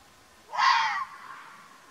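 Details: Single raspy, wheezing scream from a wild Arabian mountain fox in Oman, sharp in onset and cut off after about half a second, followed by faint hiss, against an otherwise still background.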